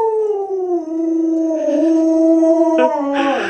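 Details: Alaskan Malamute named Lolo, a pet dog, giving a long tonal howl that starts near 450 and slides down, then holds steady and level for about two seconds before a brief break and a falling end.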